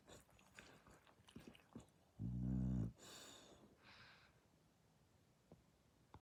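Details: Asleep indoors, the dog Dasha gives a single loud, low, buzzing snore, followed by soft breathy exhales and light rustling.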